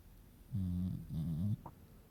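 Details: Female beagle puppy sound asleep and snoring: two drawn-out, low, nasal snores run back to back, each about half a second, followed by a tiny brief squeak and quiet breathing.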